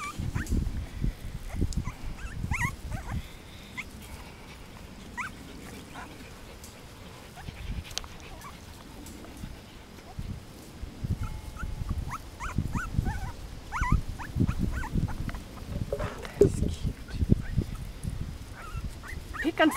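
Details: Miniature Pinscher puppies, five weeks old, playing and investigating around their food bowl: scattered thin, rising whimpers and squeaks, growing more frequent toward the end, over soft thumps and scrabbling.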